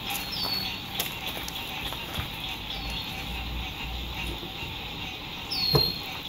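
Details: A spring 2021 lakeside sunset brings a continuous high, shimmering frog chorus over a low pulsing layer. A few sliding bird whistles, soft rustling and movement knocks from neighbouring RV campers sit beneath it.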